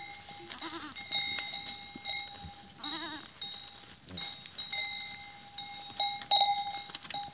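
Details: Goats recorded on 13 April 2023, giving two wavering, quavering bleats with stacked harmonics, the second longer and louder, over a constant ringing of many metallic bells worn by the herd.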